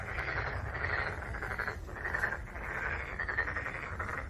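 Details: Chorus of black-spotted pond frogs: steady overlapping rattling croaks in quick pulses, rising and falling in loudness in waves about once a second, with a faint low rumble beneath.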